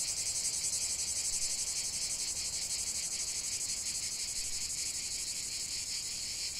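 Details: Cicadas chanting in a natural setting, a piercing high buzz that wavers in quick, repeated pulses and stays constant throughout, with no other notable sounds.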